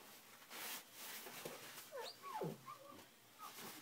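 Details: Pet husky indoors in the evening, curious and confused after a squeaky glass cleaner was used on a bathroom mirror; short high whines slide steeply downward, followed by a few brief squeaky yips amid light rustling.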